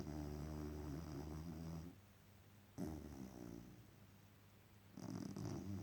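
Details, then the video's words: Dog asleep after an exhausting day, snoring with low, rumbling, buzzy breaths in long drawn-out pulses separated by quieter pauses, recorded up close indoors. "Dog snoring after an exhausting day at work.."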